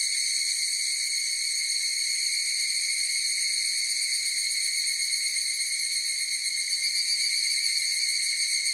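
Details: Higurashi cicada chorus: dense, ringing high tones that hold level throughout, with a faint rapid pulsing texture and slight swells near the end.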